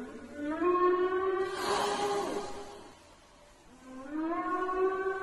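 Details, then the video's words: Whales heard from the coast of Libya: long harmonic moans that rise and hold, one near the start and another rising at the end, separated by a broad noisy whoosh in the middle. "أصوات الحيتان على سواحل ليبيا Voices of whales on the coast of Libya"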